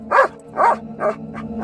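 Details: Belgian Malinois singing to a song on its owner's prompt, three warbling yowls with a fainter fourth, each under a quarter second, followed by praise from the owner.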